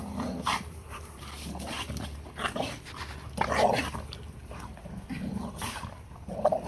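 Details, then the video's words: Play fight between best friends Tonka the Malamute and Capone the Pitbull, who have wrestled since they were puppies; rough grumbling growls and short whiny yelps come in irregular bursts over a constant low hum. "Pitbull Takes Malamute Down!!!!"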